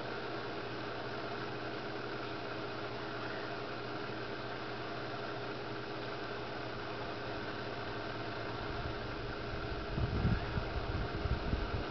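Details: Steady engine-like hum and low rumble with no animal voice, growing slightly louder near the end. No calls stand out above the mechanical noise.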